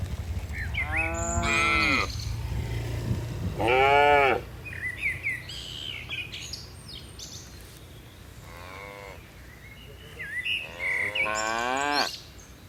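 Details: Dozens of tame cattle jumping down a hillside on a mountain slope; several separate moos spaced a few seconds apart, some rising then falling in pitch, with bird chirps between them and a low rumble early on.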